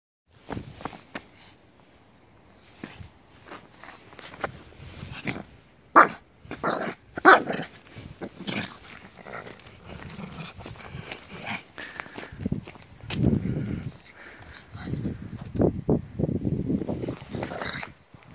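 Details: Puppy being played with indoors, giving short sharp yips and low rumbling growls in irregular bursts, loudest around the middle, with scattered clicks and rustles from play between the calls.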